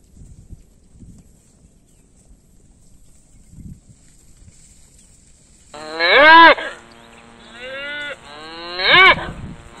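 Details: Village cows being herded; after several quiet seconds of faint low noise, three loud moos arrive close together, the first two short and arched, the last strong and brief.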